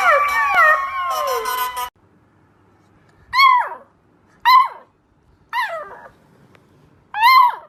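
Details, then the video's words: Puppies howling for the first time: an opening stretch of overlapping tonal howls with falling lines, then silence, followed by four short, sharply descending yelping howls spaced about a second apart. "Tiny Puppies Howling for the First Time"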